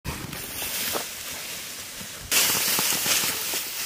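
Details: Outdoors in a cornfield, steady rustling and wind buffeting with scattered crackles, growing abruptly louder halfway through.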